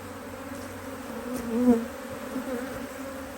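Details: Honey bees working a Hive IQ hive in Australia, mid-Autumn 2023, while the hive is opened to add another box. A continuous even buzz with a low fundamental and an overtone, briefly swelling as a bee passes close by.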